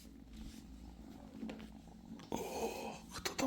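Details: British Shorthair kitten purring indoors: a steady low rumbling hum for the first two seconds, then rustling and handling noises take over with sharp clicks near the end.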